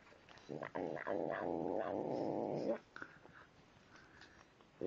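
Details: Tim the cat growls and mutters while eating, a sustained harmonic rumbling vocalisation lasting about two seconds with faint clicks, then quiet chewing noises.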